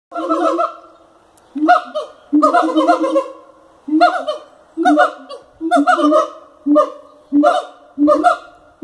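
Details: Captive siamangs calling at Cotswold Wildlife Park: loud, nasal, honking barks in short bursts, some single and some in rapid clusters, each rising slightly at the start, with brief pauses between bursts.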